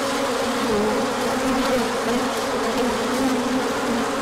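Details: Honey bees in a large orientation flight on 24 March 2024, coming out when the sun appeared after colder weather; a dense, steady buzzing hum of many wings with wavering low tones throughout.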